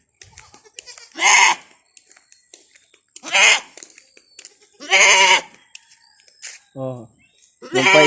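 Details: Domestic goats, including an angry buck, bleating: four loud wavering harmonic bleats spaced about two seconds apart, with a man talking in Filipino between them and a faint high electrical whine.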